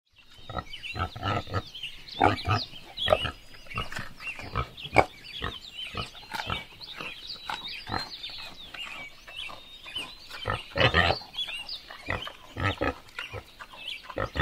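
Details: Wild boars in a forest grunt back and forth in a steady run of short, rough, throaty calls.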